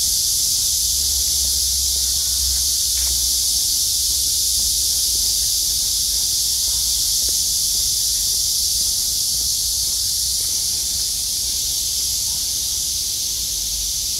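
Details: Cicadas singing on a midsummer August day under blue skies after torrential downpours; a dense, unbroken high-pitched buzzing drone holds steady throughout, with a faint low rumble beneath.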